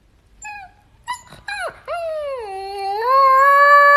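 A young Siberian Husky starts with a few brief, high whimpers and yips. It then draws out a long, rich howl that sags in pitch before climbing and holding steady to the end.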